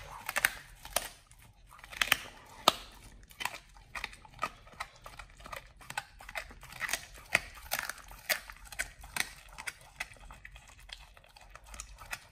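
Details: Pit Bull named Nomyen eating a whole raw Thai duck, his first time, on a raw prey-model diet: sharp, separate crunches of bone and flesh every half second or so, with louder bites around two and eight seconds.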